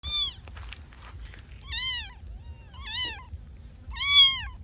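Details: Kittens meowing: three or four high, arched mews around one second apart, each rich in harmonics, the last loudest, over a low steady background hum.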